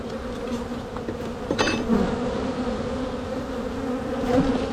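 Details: Honey bees buzzing in an opened hive during a spring walk-away split of a strong colony. A steady low hum with a higher overtone runs throughout, with brief clicks and knocks as frames are handled.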